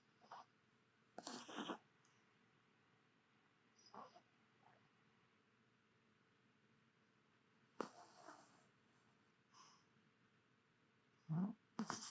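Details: Chihuahua named Duo napping with half-open eyes, rural home life, Kagoshima: four soft, breathy snore bursts at irregular intervals, separated by near-silence in a quiet room.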